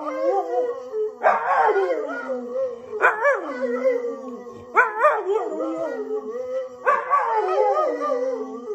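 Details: Husky-boxer mix named Orvi howls in competition with his owner, four loud sliding howls, each starting high and sagging into a long quavering tone, spaced about two seconds apart.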